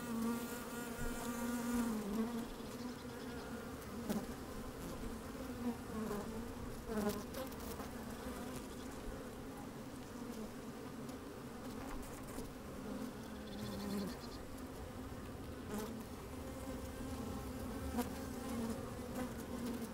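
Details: Working honey bees recorded from a microphone lowered into an opened hive on a fine sunny day: constant deep humming drone, a few stronger buzzing swells early and midway, scattered clicks and bumps of bees crawling.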